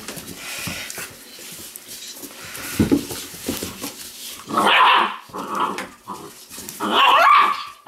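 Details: Weimaraner puppies held on a lap, mouthing everything with sharp little teeth; two short, high, harmonic yelping whines burst out near the middle and end, amid a person talking and soft indoor rustling.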